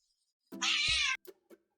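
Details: Pet cat 'talking' with a single drawn-out meow lasting about half a second, rich in bright harmonics, followed by a few soft clicks and taps in a quiet room.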